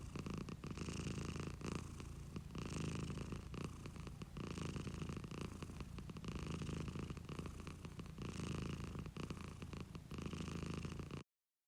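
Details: Owner's own domestic cat purring steadily: rhythmic low rumble cycling with each breath about every one to two seconds for eleven seconds, then cutting to silence at the end.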